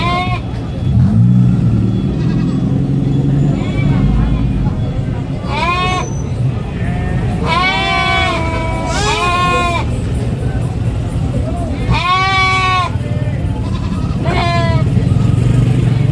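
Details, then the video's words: Young goat on a farm screaming in repeated harmonic bleats, some rising then falling, clustered in bursts of two or three with pauses, over a constant low engine-like hum. "GOAT SCREAMING BABY GOAT VIDEO FUNNY GOAT SOUNDS"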